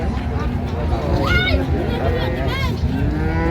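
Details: Cattle at the Raniganj livestock market in Dinajpur, where dairy cows and calves are traded, 26 November 2025; two short, rising, fairly high moos over a constant roar of crowd and market noise.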